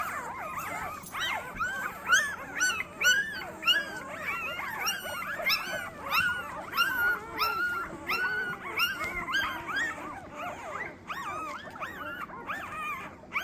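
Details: Golden Retriever newborn puppies, a litter of twelve with their mother, born April 25, 2023: a dense chorus of high, wavering squeals and whimpers, overlapping and rising and falling continuously throughout.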